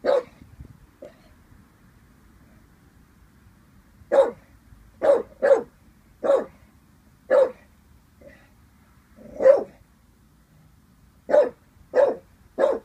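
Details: Eighteen-month-old Staffie Vinnie, uncertain about a balloon, stays mostly quiet for four seconds, then barks in short bursts, with single and paired barks and a few softer huffs between them.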